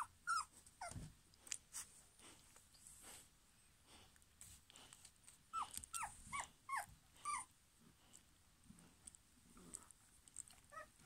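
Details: Young German Pinscher puppies, litter born 2022, giving a string of brief whines and little yelps at irregular intervals, mixed with soft grumbling noises and light clicks and shuffling.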